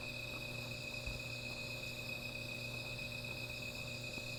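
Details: Night insect chorus by a small fire, a continuous shrill ringing tone with a fainter high shimmer above, a low steady hum beneath and a single soft knock.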